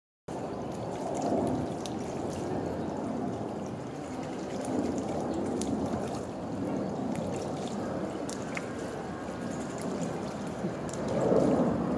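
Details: Steady trickling and splashing water fills the whole clip, with faint clicks and no clear animal calls.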